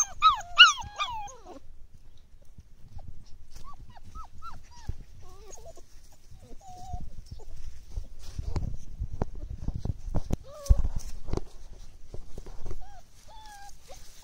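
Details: Six five-week-old Belgian Malinois shepherd puppies: a burst of high, harmonic squealing whimpers at the start, then scattered short rising whines through the middle, with rustling and handling noises later.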